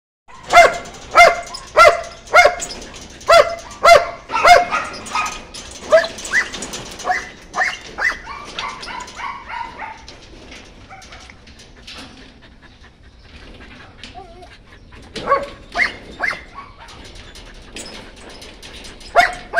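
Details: White German Shepherd puppies barking in quick, rhythmic bursts of sharp yaps, a steady run at first that thins out midway with a quiet gap, then resumes with several more loud barks near the end.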